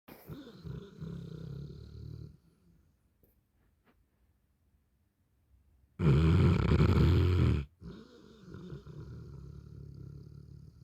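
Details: Napping Neapolitan Mastiff snoring, deep low rasping breaths in slow rhythm, pausing into near silence midway before a loud harsh rumbling snort, then steady low snoring resumes.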